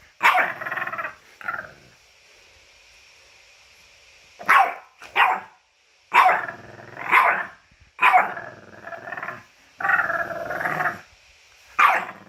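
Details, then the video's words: Whining French bulldog dressed in a costume, producing rapid uneven bursts of nasal, yelping grumbles and moans, around a dozen outbursts in twelve seconds, some drawn out into wavering whines. "French Bulldog Funny Whining Sounds and Noises"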